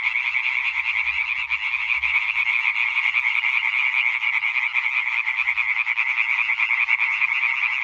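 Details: European tree frog concert recorded 20 May 2023, a crowded chorus of quick, grating high croaks pouring out without pause, the rhythm of single callers lost in the steady roar.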